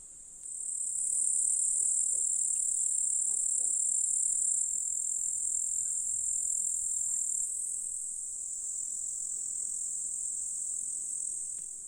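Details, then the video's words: Grasshoppers in a flowery Russian meadow by a lake in July: after a quiet start the high, piercing, continuous buzz rises within a second and holds steady, slightly easing toward the end. "Grasshoppers in July"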